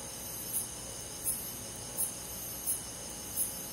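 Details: Summer-night cricket in countryside woods giving short, high, bright chirps roughly every 0.7 seconds over a continuous thin background drone of other insects.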